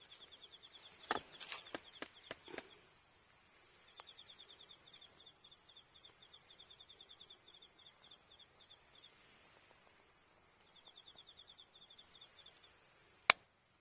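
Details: Autumn night insect chorus, October 20, at a campsite in Iyo Province, Japan: long trains of fast, high pulsed chirps with gaps between, opened and closed by loud crackling bursts from a campfire.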